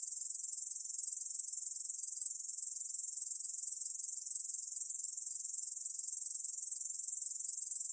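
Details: A 2020 recording of a Korean bush cricket producing a sustained, sizzling high trill that never breaks or varies, with nothing else audible.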